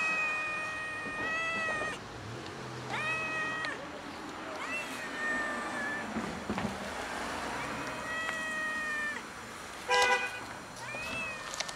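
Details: Fluffy, oddly coloured male cat living a solitary life, sitting on a gas enclosure outdoors and waiting for someone to give him food; five drawn-out, tonal meows, some rising then falling, spaced every two seconds or so, over low background hum.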